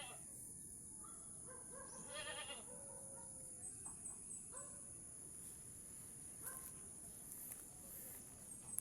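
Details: Mother goat in a hard birth, with a person pulling the kid out; two or three short quavering bleats early on, followed by scattered clicks, rustling and a persistent high hum.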